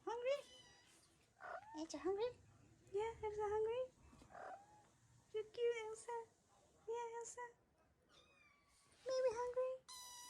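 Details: Hungry Ragdoll kittens of a mother's first litter kept waiting for their breakfast indoors, giving a run of clear drawn-out meows, several wavering or sliding upward, spaced every second or two, while a person coos and chats nearby.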